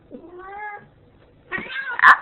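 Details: Female Ragdoll cat arguing with her owner, who is trying to leave and whom she does not like to see go: a rising-then-falling harmonic meow, a pause, then a louder harsh, strained meow, with a person's voice pleading to be let go.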